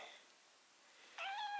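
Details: Rescued white kitten, found crouching near death at a home's front door at the start of winter, indoors. A short speech sound comes first, then one steady, even-pitched meow lasting about half a second.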